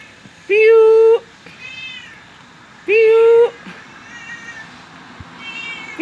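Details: Domestic cat, called unjai in the Banua language of Berau, Indonesia, answering as it is called by name: two loud, steady, drawn-out meows about two seconds apart, each under a second long, with softer harmonic calls between and a quiet room behind.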